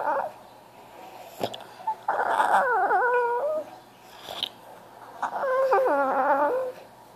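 A French Bulldog whines twice, each cry a long, quavering, nasal tone that wobbles and then sinks lower. The plaintive crying is a plea for attention, with a faint room hum behind it.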